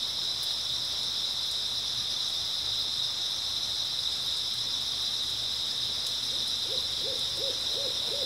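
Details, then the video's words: Early autumn night chorus of grass insects: a continuous shrill, even drone of chirping, joined near the end by a short run of low, rapidly repeated hooting notes. "백색소음 풀벌레 소리"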